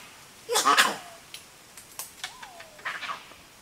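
A dusky leaf monkey gives a harsh, sneezy burst followed by a thin, falling whistled note.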